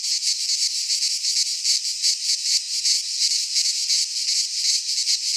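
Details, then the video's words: In a Greek pine forest at midsummer, cicadas produce a steady high-pitched whirring drone, throbbing rapidly at close to three beats per second, the chorus filling the whole recording without other sounds. "Cicadas singing in midsummer - Nature sounds from the Greek fauna - Sounds of cicadas"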